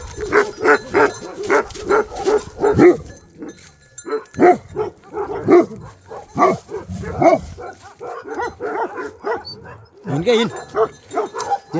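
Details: Tiger, a Bhote Kukur in Nepal, barking when a dangerous wild animal such as a leopard or wild boar comes near; loud rapid barks in long runs with brief pauses, a human voice calling out once.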